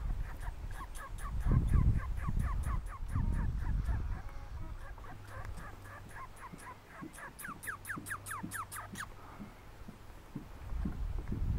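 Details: Red squirrel at Lac Boivin, Québec, Canada, giving rapid bursts of short, sharp, downward-sweeping chattering notes, several per second, pausing and resuming, over a low rumbling background.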